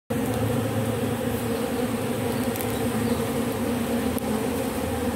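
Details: Robber bee collecting propolis from matchsticks: a steady, low droning buzz with a strong hum and layered overtones that holds unbroken throughout, with a few faint clicks.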